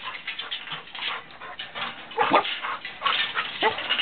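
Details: English Setter puppy whimpering, with thin high whines rising and falling over a rustling, shuffling background.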